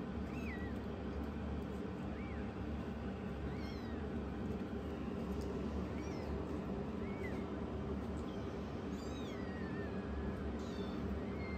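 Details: Rescued foster kitten, the immature youngest, challenging its older sister kitten: about ten short, high, arching meows, some rising and some falling, scattered through the clip over a steady low mechanical hum.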